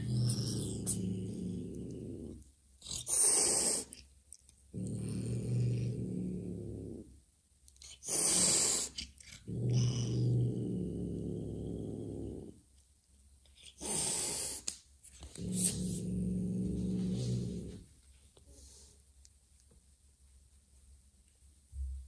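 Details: Joanna, a mother cat meeting an unfamiliar orange kitten for the first time, alternates long low rumbling growls with sharp explosive hisses, four growl bouts spaced by brief hissing bursts and quiet gaps.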